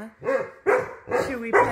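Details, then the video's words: Wolfdogs, including a wolf puppy, howling indoors in a house, set off when one jealous dog grew loud and another started howling. Four short, wavering, harmonic vocal bursts rise and fall, with a person's voice nearby. "Howling in the House! Wolf Puppy Adventures!"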